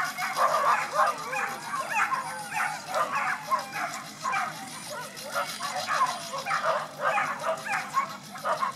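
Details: Female whippets at the start of a race at Ivánka pri Nitre, Slovakia, on 23 August 2014, five dogs running: a dense, overlapping burst of high excited yips and barks, rapid and continuous throughout.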